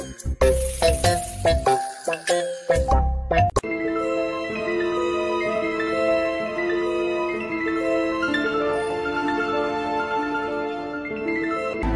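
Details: Chiming mallet-percussion music with bright bell-like notes, opening with several short struck tones before a sustained melodic passage.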